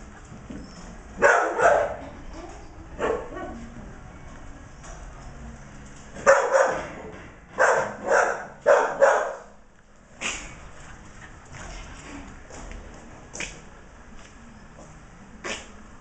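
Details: Border Collie cross Australian Shepherd puppies giving irregular bursts of yappy barks, several in quick pairs and triplets, with softer rustling and whines between them.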